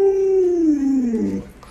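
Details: A clear, strong howl from Luoluo, a pet Alaskan Malamute that cares for its family's toddler. It starts high and slides smoothly downward over about one and a half seconds before fading.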